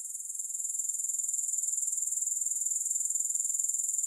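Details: Rapid, regular chirping pulses from grasshoppers form a shrill, high-pitched ringing trill that builds slightly in strength and runs without a break; no music.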